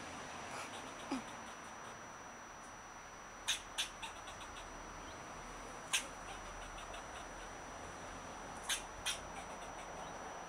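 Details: An Eastern fox squirrel gives short, harsh barks, spaced irregularly, some in quick pairs, while swishing his tail, telling a person to leave the avocado tree he claims as his territory.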